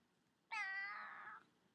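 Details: Indoors, a female house cat resting in a baby cradle lets out one sustained, nasal meow of about a second, steady then softening at the end, with a quiet room behind it.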